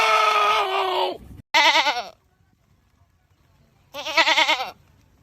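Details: Goat screaming with a sustained harsh cry that sags at the end, followed by two short, fast-quavering bleats with silence between.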